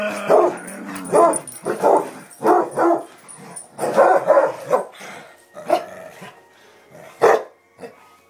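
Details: Excited barking from two pet Basset Hounds: a long run of deep, repeated barks and bays, some overlapping, with quieter yips and a final sharp bark.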